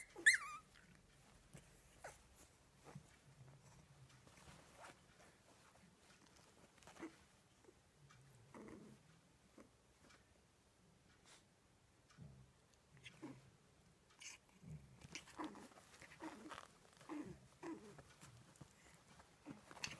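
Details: Phoebe the dog, in a mischievous mood and wanting to annoy, opens with a sharp whine, then gives scattered low grumbling growls and soft whimpers amid scuffling and rustling.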